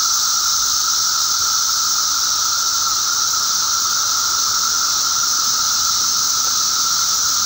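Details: Emerging periodical cicadas, May 19, 2011: a thick wall of insect sound, one sustained humming note layered under a loud airy hiss, unchanging from start to finish.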